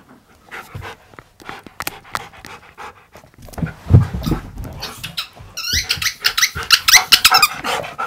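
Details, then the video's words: Siberian Husky talking back at its owner and refusing to do as told: scattered clicks and breathy panting, then a loud stretch of warbling, wavering howl-like yodels that rise and fall rapidly over the last few seconds. "Husky Argues And Refuses To Sit"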